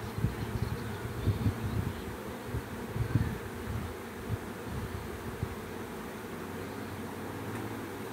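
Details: Many bees in a swarm make a deep, rumbling drone, louder and more uneven in the first few seconds, then settling into a steady continuous hum.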